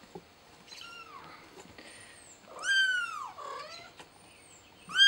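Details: Mother cat calling while trying to help her kitten: a series of arched, tonal meows with clear overtones. Softer cries come first, then one long, loud, rising-and-falling meow near the middle. A short, sharp call closes the sequence in a quiet room.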